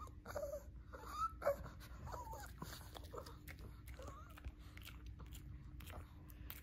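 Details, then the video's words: A Shih Tzu vocalizing for treats indoors: brief squeaky whines and warbling, talking-like moans, louder early then fading, with a woman's voice and a steady low hum. "Shih Tzu wants treats now!"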